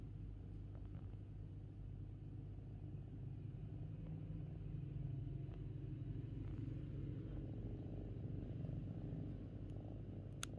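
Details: Fifi, a pet kitten, purring steadily indoors: a low, continuous rumbling drone that holds evenly for the full stretch, with faint clicks and a brief high tick near the end.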